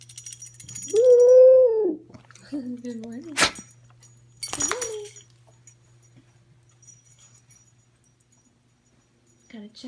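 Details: Dog in bed at morning giving a sustained, slightly arched whine-howl, then a shorter lower wavering note. Sharp rustling bursts and a faint later whimper follow in a quiet room with a low hum.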